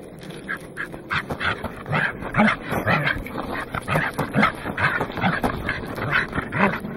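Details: Welsh corgi named Goro barking atop Mt. Oyama, 27 October 2009, Casio Exilim EX-F1 camera: a run of clipped, punchy yaps about two per second, steady and fairly loud against faint background hiss.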